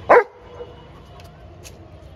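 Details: A big black Labrador Retriever guarding the boundary from a terrace gives a single short, loud bark, followed by quiet background with faint distant sounds.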